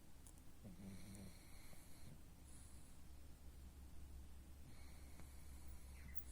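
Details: A pug, dubbed the pug king, snoring: two rough, wheezy snore bursts with thin whistling overtones, one early and one near the end, over a steady low hum.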